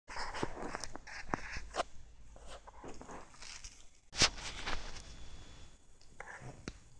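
A Siamese cat chewing lettuce, with soft, irregular crunching and clicking bites.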